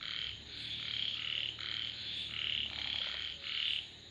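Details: Several frogs give long, harsh, buzzing croaks, each lasting close to a second and running into the next, with a low faint hum underneath.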